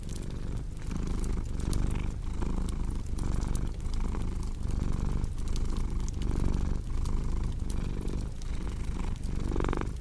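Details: Steady low purring of a cat, breath-paced rumble repeating under frequent fireplace crackles and snaps, with a brief louder rustle near the end.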